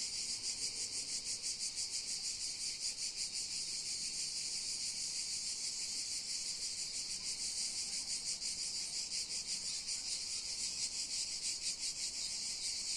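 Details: On Cat Mountain, cicadas produce an intense high-pitched shrilling drone, rapidly pulsating and continuous, with no other clear sounds.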